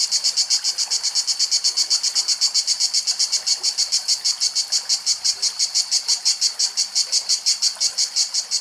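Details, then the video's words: A cicada sings in Greek nature, a loud, high, rasping buzz pulsing steadily about five times a second without a break. "Τζιτζίκια Τραγούδι"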